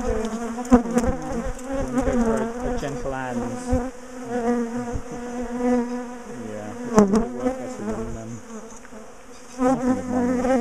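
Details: A big colony of bees, being dismantled out of its top bar hive because it kept ambushing its owners; thick humming drone of countless bees, wavering in pitch, with occasional knocks and a brief quieter spell.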